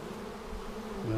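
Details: Honey bees in a hive opened seven days after a vertical split with a double screen divider board, March 10, 2019, while a beekeeper checks for queen cells; steady low droning hum with layered tones, a brief higher tone near the end.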